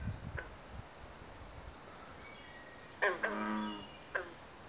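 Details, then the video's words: Carpenter and green frogs in mating season at a Pinelands pond in Southampton, New Jersey: scattered sharp plucks and one longer, drawn-out harmonic croak, with low rumble early on. "Frog Pond Sounds at Mating Season"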